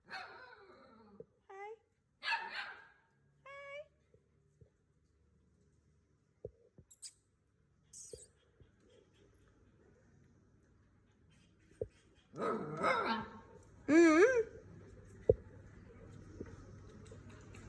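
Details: Indian mongrel puppies give high, wavering whines and short yelps in scattered bursts.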